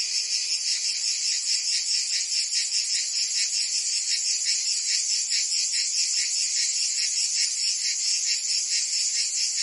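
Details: In Provence, France, cicadas sing through a summer day as a continuous high-pitched rattling hum with fast rhythmic throbbing, steady in loudness from start to finish.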